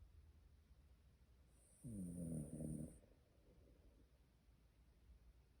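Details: A worn-out Shiba Inu snores in its sleep: one low, vibrating rumble around the two-second mark, then quiet steady breathing in a still indoor space.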